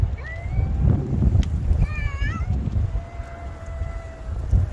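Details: Black cat addressing a white cat with a loud, intense voice during a cat-to-cat conversation, December 2022: a short meow, then a wavering, trembling meow, then a long drawn-out level meow, with low rumbling background.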